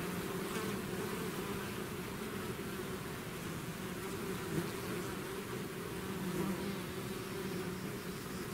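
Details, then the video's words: Buzzing of a bee swarm leaving its hive: a level, dense hum of many wings, with a few nearer bees briefly rising above the drone midway. "bees therapy swarm natural buzzing sound"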